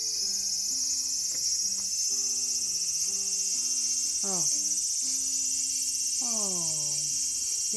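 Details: Garden cicada on August 5, 2020 keeps up an unbroken, piercing high buzz, while repeated flat lower tones and two sweeping, harmonic calls, one dropping sharply and one sliding down more slowly, sound beneath it.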